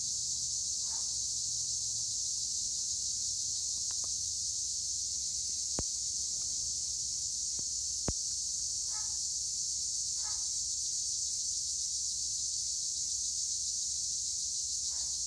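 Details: Acheta assimilis tree crickets chirp nonstop in olive trees at Edremit/Güre, Turkey. Their bright, high, seamless hiss fills the whole stretch, with two sharp clicks and a few faint soft chirps from another creature.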